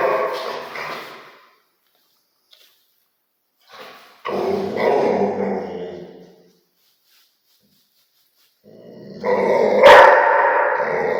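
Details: Rottweiler gives three separate harsh, gravelly bark-growls, each lasting one to two seconds, divided by several seconds of silence. The last one is the loudest and ends with a sharp snap.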